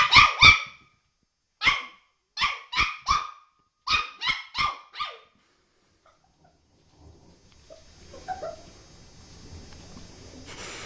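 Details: Puppy playing and barking at its reflection in a mirror: about eleven sharp, high, yappy barks in quick bursts over five seconds, then quiet room sounds.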